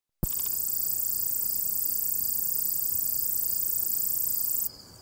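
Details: A singing katydid in Jackson County, North Carolina, gives a dense, continuous high-pitched buzzing trill that starts abruptly and runs steadily for over four seconds before cutting off, with faint low background noise.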